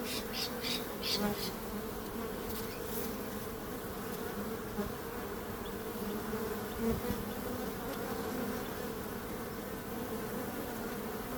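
A dense hum of bees fills the recording, a constant low drone that barely changes in pitch. Occasional faint clicks and soft swells rise over the steady buzzing.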